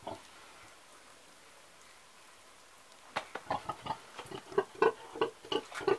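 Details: An old pig gives short grunts in a rapid irregular series over the second half, after about three seconds of near quiet; low background noise throughout.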